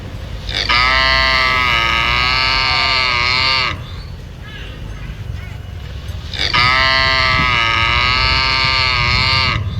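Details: Cattle near Phnom Penh, Cambodia, giving two long, loud moos of about three seconds each, richly harmonic with a slight wavering pitch, separated by a quieter gap with low background rumble.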